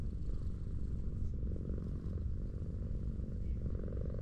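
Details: Affectionate tortoiseshell stray cat lying on a sloped street while being petted purrs steadily, a low continuous rumble with rhythmic pulsing throughout.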